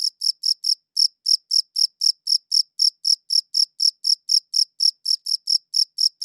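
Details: Shrill chirps from a single cricket, recorded with a good audio recorder, come in a steady, rapid series of about four per second. Each is a crisp, high pulse with a thin upper overtone, over a silent background.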